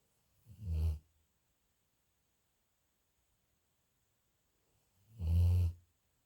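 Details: Sleeping dog snoring alone, recorded May 28th, 2021: two deep, rumbling low snores about five seconds apart, each lasting under a second with a breathy upper edge, silence in between.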